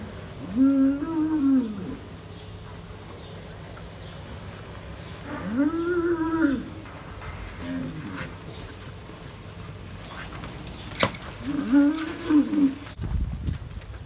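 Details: Fighting Hereford bulls on a dairy farm in New Zealand give three arched, harmonic bellows, each about one to one and a half seconds long and spaced several seconds apart, with a short grunt between them and a sharp click near the end.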